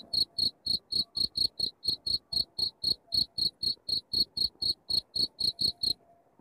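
A cricket chirps steadily, giving bright, high pulses about four times a second.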